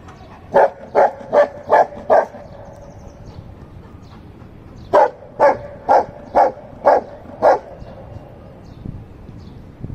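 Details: A golden retriever guarding his stone against a person gives two quick runs of sharp, evenly spaced barks with a pause between.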